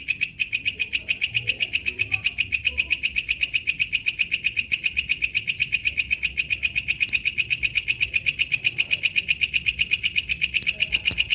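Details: Wild katydid (walang kecek) singing in its natural habitat: a steady, high, buzzy pulsed rasp, about four pulses a second, sustained without a break, with only faint low background rumble.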